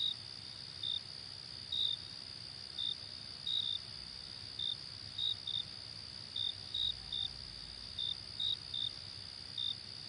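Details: Short, clear cricket chirps at uneven intervals, often paired, set against a steady high insect trill and soft background noise.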